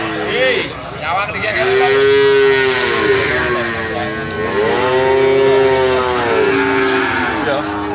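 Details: Calf giving sustained, arching moos, two long calls each lasting about two seconds with a clear steady tone, softer overlapping calls between them and light background noise.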